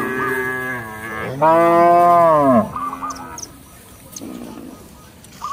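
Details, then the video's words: Cattle roaming in a village field, mooing to call companions back to the barn: a soft low moo, then a loud, long drawn moo that swells and falls. Faint chirping birds and short twittering notes sound in the background. "Suara sapi lembu berkeliaran di ladang memanggil kawan untuk pulang ke kandang - Bunyi Lembu di desa"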